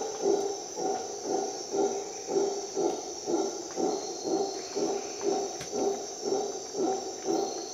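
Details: Dawn rainforest in Costa Rica with howler monkey roaring: deep guttural pulses repeating about every half second in a steady chant, set against continuous shrill insect buzz.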